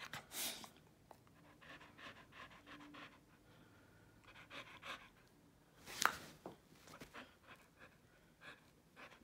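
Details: Bodhi, a Keeshond dog helping make the bed indoors, panting in soft rapid breathy bursts in a small room, with rustling bedding and a sharp louder noise around the middle.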